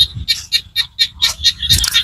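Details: Small frogs calling in Cambodian rice-field countryside: a chorus of short, bright, buzzy pulses repeated about four times a second, with faint low thumps underneath.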